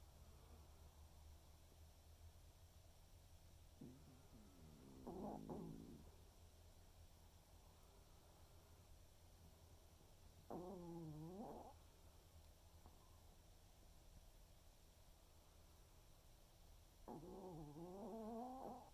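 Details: Waldo, a senior Pomeranian, snoring through an afternoon snooze: three separate wheezy, wavering snores spaced several seconds apart, each rising and falling in pitch, over a low steady room hum.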